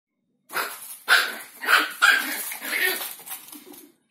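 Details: Chihuahua in Simferopol, Crimea, seen with a banana, gives a run of five sharp, high, raspy barks spaced about half a second apart, each bursting loud then trailing off.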